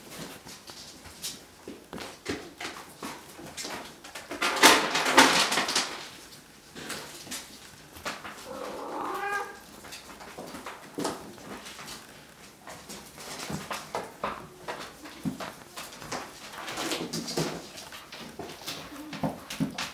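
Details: Bengal kittens from three litters at Wildrose Bengals, thirteen in all, aged about 5 to 8 weeks; a loud scratchy rustle, then a clear harmonic meow midway, amid steady clatter, scampering and tapping in a small room.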